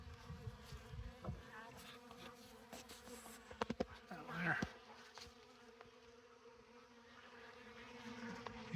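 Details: Honey bees crowding an open feeding tote of honey, bee bread and comb on a sunny December day; a continuous low hum with scattered clicks and knocks from handling the comb.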